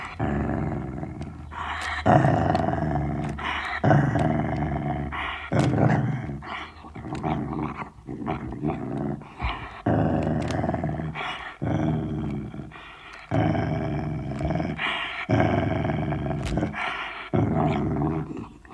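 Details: Sealyham Terrier guarding a bone inside a room, growling in strong, rough pulses that return roughly every two seconds, each a throaty rumble breaking off abruptly, with sharp clicks between them.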